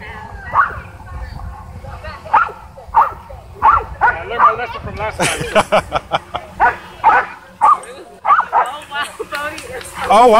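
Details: Dogs at a dog park whipped into a frenzy by a DJI Mavic 2 drone overhead: a dense run of excited barks and yips, speeding up midway, mixed with people talking and laughing.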